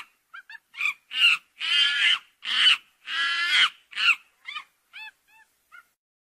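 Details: Monkeys calling: a burst of harsh, harmonic screeching cries, building from short chirps to long loud squeals around the second second, then fading back to brief high chirps.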